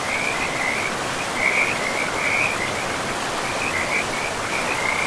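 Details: Frog chorus by a forest river, moss-covered ground nearby: high rattling trills come in short bursts with brief gaps between them, carried over a steady hiss of running water that masks the lower range.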